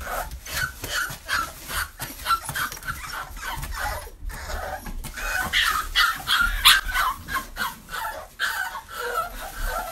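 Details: American XL Bully puppies give a busy stream of high, sharp yips and barks with a few whimpers mixed in.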